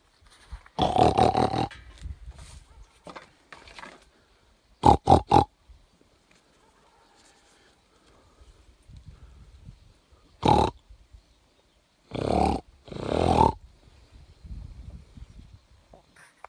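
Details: Wild boar met unexpectedly in meadows at the mountain foot near Pobergje village, Deçan, Kosovo, 26 July 2021 at 4:54 in the morning: several loud, harsh grunting and snorting bursts, some in quick triple pulses, separated by quiet gaps.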